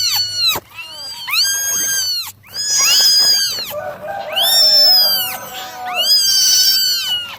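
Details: Nine kittens meowing through a morning drying session, shrill rising-and-falling cries in quick overlapping series, roughly one every second or two, some layered with lower voices.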